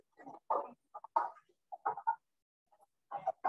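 Wood frogs give short, hoarse clucking notes in quick irregular bursts, like a duck's chuckle.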